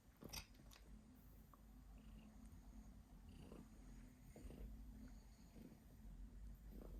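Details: Domestic cat coughing while purring indoors: a steady low rumbling purr throughout, with a few brief sharp clicks near the start and faint higher hisses scattered across the recording.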